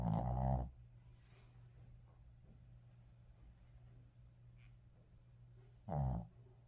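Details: Sleeping Shih Tzu, tired out from play, snoring indoors: a short throaty snore at the start, then quiet hum, then another deep rasping snore roughly five seconds later.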